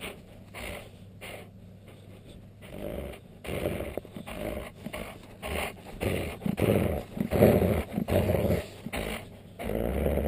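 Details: Pet dog, a husky, alsatian and Alaskan malamute cross, growling while being annoyed; low rough rumbling bursts that swell and fade irregularly, louder toward the middle and end, over a faint steady hum indoors.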